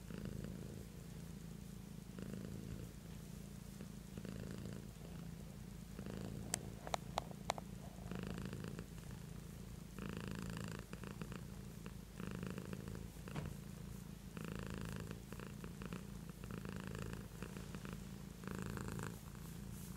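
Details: Domestic cat Beatrice purring in a long unbroken rumble, low and throbbing, with breath-paced swells every couple of seconds and a few sharp clicks or taps early on.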